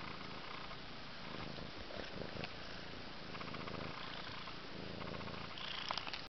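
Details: One-month-old Abyssinian kittens, Jolie Doll and Juno, Jellybean and Jungle Boogie, in hare, fawn and sorrel coats, give a steady low rumbling purr throughout, with soft pulsing texture and faint higher rustling near the end.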